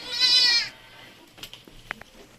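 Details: Purebred Anglo-Nubian goat, one of two that have given birth, gives a loud, high, strongly harmonic bleat lasting about two-thirds of a second, then silence broken by a few faint clicks and knocks.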